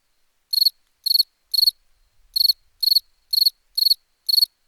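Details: Cricket chirps as crisp high pulsed bursts, about two per second after a brief silent start, each chirp a tight cluster of rapid pulses, against a clean quiet background.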